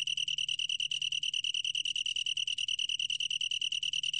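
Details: Rapidly pulsed, high, ringing trill of a long-tailed tree cricket, recorded by the National Institute of Biological Resources in 2020, with regular beats about ten per second at one steady pitch.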